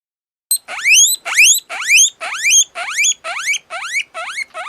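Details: Guinea pig whistling: a loud series of rising, squealing whistles, each sweeping upward with bright overtones, repeated about twice per second in a steady run with no other sounds.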